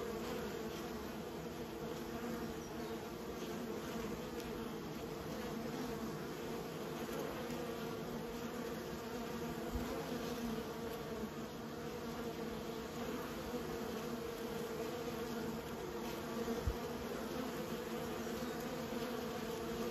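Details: Kept honey bees buzzing in a continuous, even hum of many insects, the drone holding steady for the whole stretch with a couple of faint knocks.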